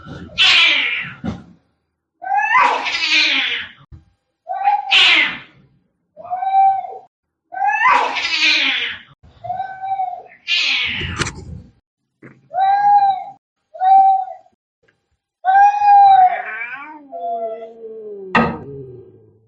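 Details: Angry fighting cats: rapid, harsh, hissing spits alternate with short, strained meows about every second. A final wavering, falling yowl closes the sequence.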